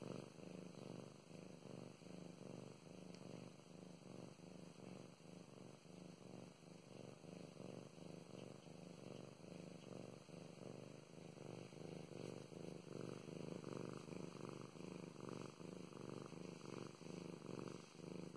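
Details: Domestic cat named Mow Mows, female, purring steadily indoors while being petted; low rumbling purr in continuous pulsing cycles, each inhale and exhale forming a soft throb, quiet room with faint hiss.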